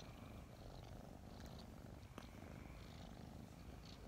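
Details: Two snuggling kittens about five months old, recently adopted, purring in the morning: a continuous low rumbling purr throughout, steady and unbroken, with a faint soft click partway through.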